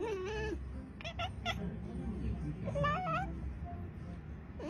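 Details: Domestic cat from an Indonesian TikTok short: an opening wavering meow, then quick clipped chirps near one second and a rising, bending meow around three seconds, with low rumbling noise throughout.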